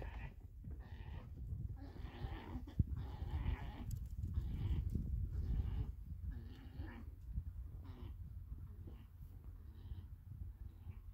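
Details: A stud male alpaca, borrowed for the summer and alone without other alpacas for years, meets another alpaca for the first time. Repeated throaty, harmonic bursts come in quick succession over a steady low rumble, with quiet gaps between calls.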